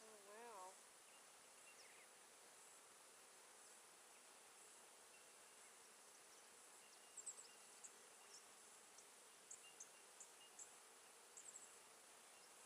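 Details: Honey bees at a novice beekeeper's first hive during its second inspection on 16 November 2013, smoked while the bees go about their work; a brief wavering buzz passes close at the start, then a steady soft hissing hum with faint clicks.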